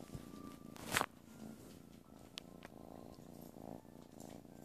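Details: Purring from a playful kitten, a soft low pulsed rumble that continues under a sharp click near the first second and a few lighter taps.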